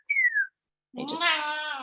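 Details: A domestic cat, just woken indoors during a winter storm, gives one drawn-out, nasal meow that swells and then holds steady; a brief thin whistle slides downward just before it.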